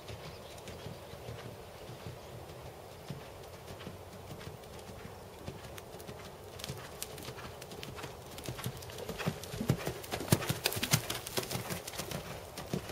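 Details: Dressage schooling by a big black Percheron/Thoroughbred gelding, seven years old: muffled, uneven hoof thuds around a hundred per minute, quiet at first and becoming crisper and louder from about eight seconds on, with low rumbling underneath.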